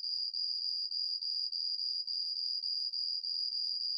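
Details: Yamato-hibari cricket, Homoeoxipha obliterata, known for skilfully changing its tempo: a high, thin, steady trill broken by brief dips about three times a second, giving a pulsing rhythm; no other sounds.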